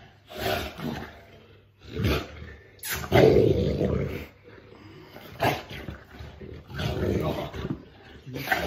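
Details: Female Boerboel play fighting with her owner after being given the top position. Rough, low growls come in short bursts every second or two, with a louder, sustained growling stretch in the middle.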